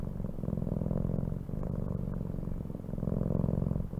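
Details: Cat purr, deep and continuous, rising and falling with each breath in cycles of roughly a second and a half, heard alone and close.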